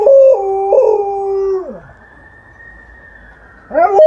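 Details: Alaskan Malamute resting in a yard howls in response to a passing ambulance siren: long steady tones that step up and down, then fade, with the siren's wavering wail carrying on beneath and another rising howl at the end.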